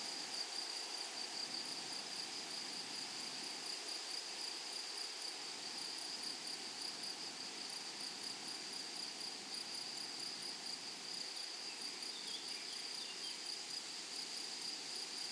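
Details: Grasshoppers in a flowery meadow or prairie: a steady, high, shimmering insect chorus holding one sharp pitch throughout, with a fainter higher tone above, continuous and unbroken over a soft background hiss.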